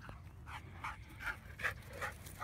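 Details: Winston, a mouthy dog being trained to obey at a dog park, loud and defiant; short, breathy vocal bursts repeat about every half second amid outdoor background noise.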